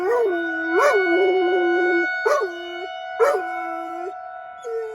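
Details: Pet dog howling at a tornado siren during a weekly drill in Rochester, Minnesota; long sustained howls dipping and holding low, each opened by a brief sharp yelp, set against a constant droning siren.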